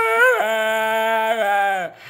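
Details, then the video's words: Dexter, a pet dog, 'talking' to his owner after a walk: a long, steady, tuneful howl-like whine that bends upward briefly at the start and holds level for nearly two seconds, with a low human voice joining. "Dexter the TALKING DOG!!!"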